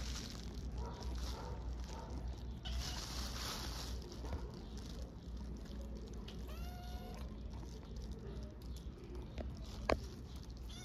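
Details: Hungry orphaned stray kittens on the streets of Istanbul meowing for food; a few arched, harmonic meows rise and fall midway through, over a steady low rumble of background noise, with a sharp click near the end.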